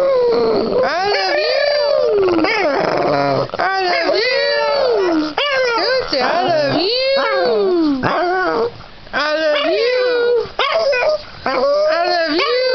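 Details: Oliver, a Boston Terrier, 'sings' along with a person singing "I Love You", howling in long, wavering notes that rise and fall.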